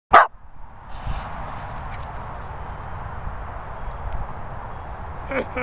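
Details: Jack Russell Terrier giving one short, sharp, loud bark at the very start, followed by several seconds of steady broadband background noise with a faint voice-like sound near the end.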